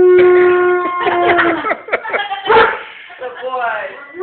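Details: A German Shepherd howls like a coyote in long, wavering tones, singing along with a family member's phone ringtone, which drives him crazy.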